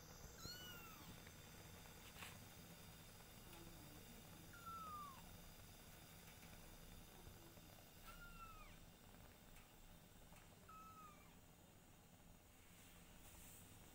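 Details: Kittens with their mother cat Silky indoors, giving faint high descending mews scattered through the stretch, about five short calls, over a steady low hum and background hiss.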